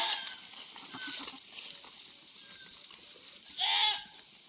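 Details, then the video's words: Goats on a farm during extremely hot weather, said to be very thirsty; one short wavering bleat with stacked harmonics near the end, over a steady high-pitched buzzing hiss and faint background sounds. "SUBRANG INIT NG PANAHON UHAW NA UHAW ANG MGA KAMBING"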